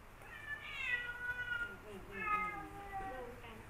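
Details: Two rival male cats, one just back home after a month away and a newly adopted formerly wild cat, exchanging drawn-out wavering yowls, quiet and somewhat distant, in two main bursts with a shorter cry near the end.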